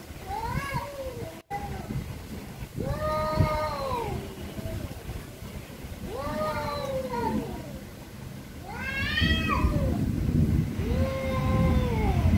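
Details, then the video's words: Very angry cats meowing very loudly; drawn-out, wavering meows that rise and fall, repeated every couple of seconds, over a heavy low rumbling background. "VERY ANGRY CATS||CAT MEOWING VERY LOUDLY"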